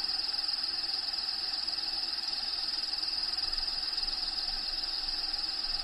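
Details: Crickets in a bearded dragon's vivarium, home of Diego: a clear, steady, high trill of rapid even pulses carrying on without a break against a soft constant hiss.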